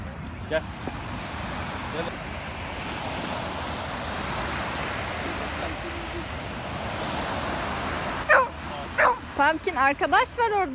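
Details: Pumpkin, a Rottweiler puppy under six months old, gives a quick run of sharp yips and barks near the end, after a long stretch of steady background rushing noise.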